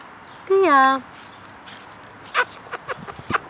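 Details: A white, woolly 4-month-old female Alaskan Malamute puppy gives a brief, rich woo call that starts high and slides downward.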